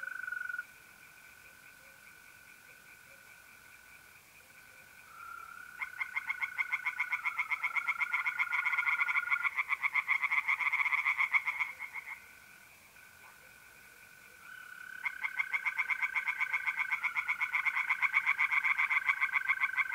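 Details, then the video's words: Night chorus of tree frogs at a pond in north-east Italy in mid-April: two long bouts of rapid, rasping pulsed calls, with mole crickets trilling steadily between and beneath them. "relaxing singing tree frogs in pond"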